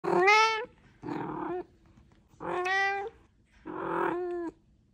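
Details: Domestic cat meowing while talking to its owner indoors: four drawn-out, harmonic meows, each about half a second to a second long, spaced roughly a second apart, some rising then falling in pitch, with quiet room background.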